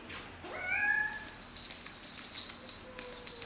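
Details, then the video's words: Cat meowing in a funny cats and kittens compilation: one rising-then-level harmonic meow near the start, followed by a high steady ringing tone and a faint short call near the end. "Funny cats and kittens meowing competition"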